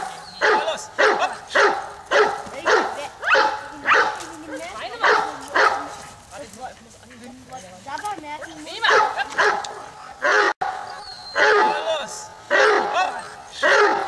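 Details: Giant Schnauzer Bayuma (Blackmoore Radinie) barking in a steady run of about a dozen loud, harsh barks spaced roughly a second apart, with a brief stretch of softer, wavering whine-like sounds between the bursts.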